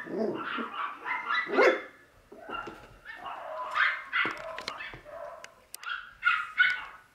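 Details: Playful Wire Fox Terrier brothers in a pet shop in Nara, Japan, letting out bursts of mid-pitched barks and yaps mixed with growly play noises, uneven in rhythm, with knocks and scuffling between bursts.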